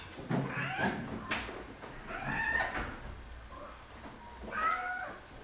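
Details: Excited meowing from four male house cats, Ben, Kitty, Tiger and Thomas, waiting for food: a few drawn-out, rising-falling meows spaced apart, mixed with knocks and kitchen noise.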